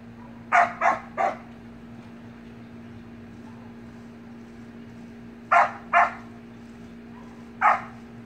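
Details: Samoyed puppy and siblings playing in a pool, giving short sharp barks: a quick burst of three, then two, then one more, over a steady low hum.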